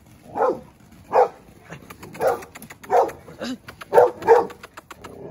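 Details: Seven-month-old male Dogo Argentino losing his temper in a first-time reaction, giving a run of six deep, hoarse barks spaced about one second apart, each a short rough burst, with quieter clicks between them.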